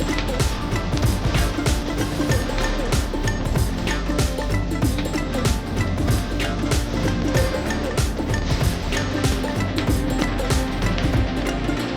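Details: Dense, loud music with a driving rhythm fills the whole stretch, with no horse or other animal sound audible.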